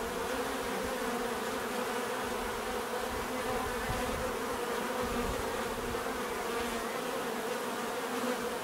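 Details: Bees drone without a break, an even, rich buzzing hum with layered tones and occasional low thuds of nearby flight.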